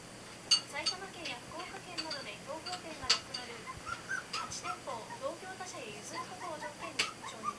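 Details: A litter of Border Collie pups, Ren, Ten, Jasmine and Swan, 22 days old and born 23 November 2012, peep and whine in thin curving squeals roughly every second, over scattered metallic clicks and taps.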